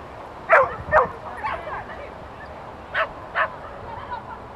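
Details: Shetland Sheepdog named Gentle Rose Afina during a second course run, giving sharp, high barks in two quick pairs about half a second apart, over a steady wash of background noise.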